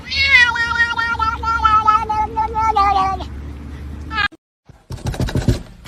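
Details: Domestic cat from a funny pet compilation giving a long, drawn-out meow that holds a steady pitch for about three seconds. A short, sharp, noisy burst follows after a brief silence, and talking is mixed in.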